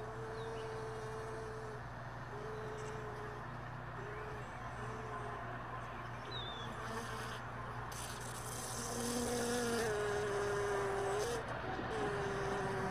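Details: Honey bees lingering around hive boxes left all day in a truck bed, early morning after most bees had flown off overnight; a wavering, droning hum of individual bees passing close, swelling louder after nine seconds over a steady low background rumble.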